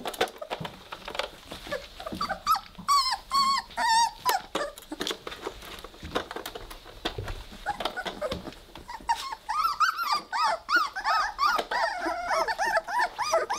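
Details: Three-week-old Weimaraner puppies playing together indoors: scattered soft thumps and scuffles at first, then short bursts of high, arched, squealing whines around three seconds, followed by a rapid string of yelping whines from about nine seconds on.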